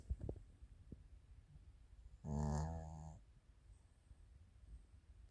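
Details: Chiroru, a female Maltese × Shih Tzu cross (Maltese father, Shih Tzu mother) born 22 July 2017, weighing 6.7 kg, sleeping; a single soft, throaty snore of about one second rises out of a quiet room, with faint rustles before it.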